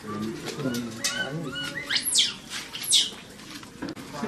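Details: A trapped baby Asian macaque, extremely scared, gives two shrill, arching cries that rise steeply and fall away, calling for help.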